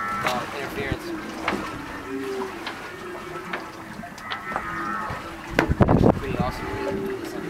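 A humpback whale sings long, low moaning tones broken by rising whoops and brief higher squeals.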